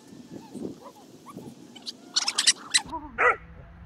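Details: Six-month-old Border Collie puppy at play: soft, rising whimpers and whines over the first two seconds, then a burst of sharp clattering and a short harmonic yelp near the end.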